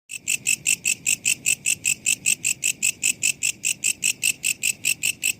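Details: Katydid call used as training audio for songbirds: a rapid, even train of sharp, high metallic pulses, about four per second, steady throughout over a faint low background hiss.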